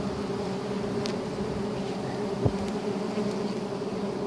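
A steady, droning hum of many giant honey bees, with a low tone held throughout.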